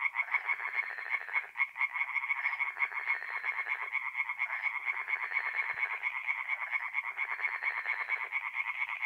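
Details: Tree frogs calling at night at a forest pond in north-east Italy in mid April; many frogs produce dense rapid pulsed croaks in overlapping bursts, forming a continuous rattling chorus.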